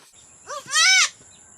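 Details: Domestic goat, a one-year-two-month-old doe, bleating while giving birth on a farm: a single loud, arched, harmonic bleat about half a second long, preceded by a shorter, lower cry. A steady high electronic whine runs in the background.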